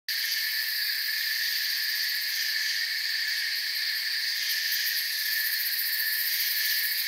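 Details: Crickets with forest sounds: a dense, steady, high-pitched shimmering chorus in several stacked bands. The drone is unbroken and even in loudness, with faint rapid pulsing at the top. No other distinct sounds stand out.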